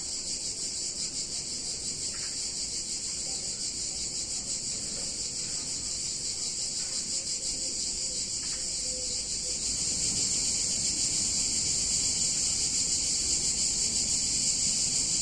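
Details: Many cicadas buzzing on a hot summer day in a picturesque Italian town, a continuous high shrill drone that swells louder after about ten seconds, low background rumble throughout.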